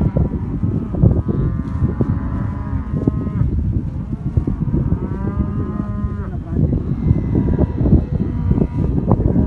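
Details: Angus cows and heifers of a black Aberdeen Angus herd from southern Córdoba: overlapping long moos with stacked harmonics around two and four seconds, another near six seconds, amid steady trampling and clatter.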